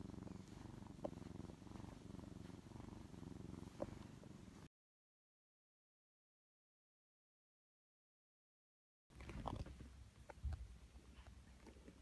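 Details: A brown tabby house cat, rescued as a kitten, purring while cuddled on a lap. Low rhythmic purring fills the opening seconds, then silence for several seconds before the purr resumes with light rustling.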